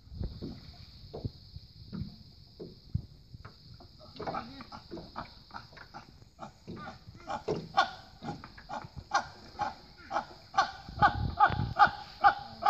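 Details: Rescued chimpanzees in the Congo: a series of breathy, rhythmic calls that start soft and sparse, then quicken and grow louder and more voiced, roughly two per second by the end, over a steady high hiss.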